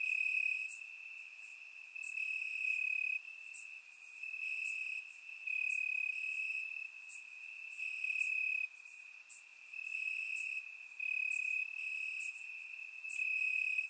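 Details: Many crickets calling from grass at night in Bulgaria during warm summer weather, recorded in surround sound: a continuous high trill pulsing in louder bursts every couple of seconds, overlaid by brief bright clicks and higher faint chirps.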